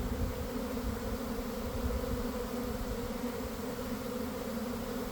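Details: Honey bees swarming from a garden hive around one in the afternoon, after a week of cold, damp weather; a dense, steady low drone with even humming bands, unbroken for the whole stretch, heard from inside the developing swarm.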